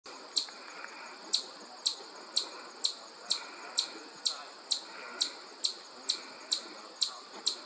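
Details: A chipmunk met on a hike at the Ashokan Reservoir gives sharp, high chips, about two a second in a steady run, over a soft background hiss.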